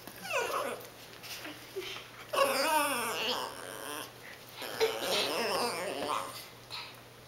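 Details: Cassie, a pet dog, begs for food her family is eating indoors: wavering, warbling whines rise and fall in two long bursts, with short yips and a person's voice between them.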